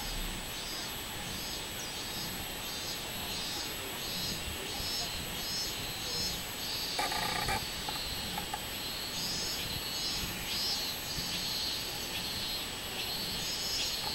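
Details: Robust cicada, 24 July 2016, giving a rapidly pulsed high buzz in regular beats under a constant background drone, with a brief rattling noise midway.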